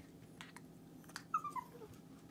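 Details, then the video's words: Shih Tzu talking: a short high whining vocal of three quick descending notes with a trailing fainter note, heard indoors with soft rustling before it. "Shih Tzu Talking"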